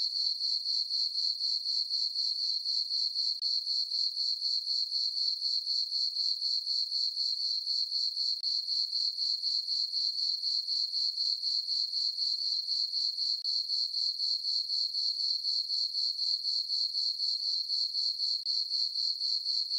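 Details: Crickets in a farm meadow on a calm full-moon summer night produce a sustained high trill of regular pulses, close to four per second, holding steady from start to finish.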